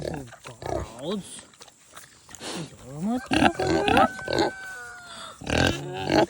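A kunekune pig gives quick nasal grunts, honks and high squeaky squeals, with a person speaking nearby.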